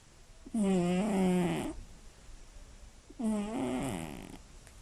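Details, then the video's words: Loud nighttime snoring from a sleeping female Scottish Fold cat, born 29 March 2016, with slightly folded ears: two long rasping, humming breaths about a second each, the first dipping slightly in pitch, separated by a quiet pause. "猫のいびきが酷過ぎる！眠れない一夜 爆音＆騒音！"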